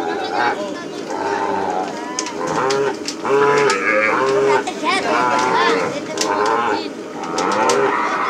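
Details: Calves turned loose after branding at a plains cattle ranch moo and bawl repeatedly, several calling over one another in wavering, mid-pitched cries, with sharp clatters and faint voices in the background.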